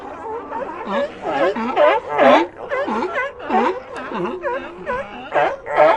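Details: Loud, throaty sea lion calls from a colony, each a swooping, gargling bark, rising and falling roughly twice a second as several animals call over one another.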